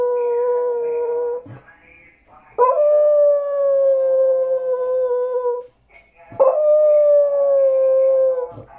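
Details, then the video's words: A dog pleading for a tamal: three sustained howls in sequence, each a level tone lasting about three seconds that tapers at the end, with short silent gaps between them. "Perro llorando por un tamal"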